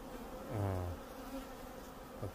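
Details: Honeybee in Canada flying past close by, a loud rich buzz swelling and fading within a second, followed by a fainter second pass and a soft drone.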